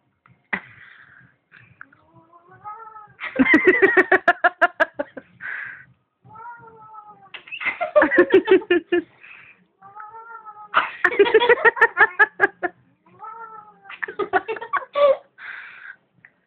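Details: Domestic cat being held against its will indoors: a series of wavering, drawn-out meows about every three to four seconds. Loud, harsh, rapid bursts of noise fall between them, with people's voices nearby.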